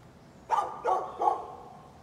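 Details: A neighbour's dog barking on a Friday morning around nine o'clock, said to bark at nothing: three sharp, mid-pitched barks in quick succession, about a third of a second apart, over quiet background.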